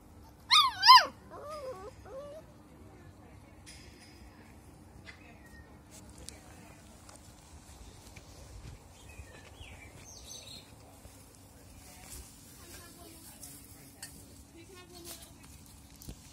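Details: Seven-week-old English Cocker Spaniel puppies, recorded 28 August 2021, give a brief burst of high, wavering whines and yelps, then fall mostly quiet.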